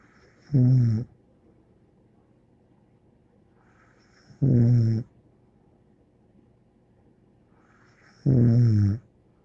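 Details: A dog called Bear snores in its sleep indoors: three deep, rattling snores at an even pace of about four seconds apart, with soft breathing noise in between.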